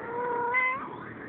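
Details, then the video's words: Cat talking back to its owner with a single drawn-out meow that holds a steady tone, then rises slightly and bends upward before trailing off. "talks back"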